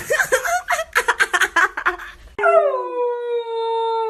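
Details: Golden Retriever puppies: a run of short, choppy yelping sounds for about two seconds, then one steady, drawn-out howl that holds a level pitch before fading.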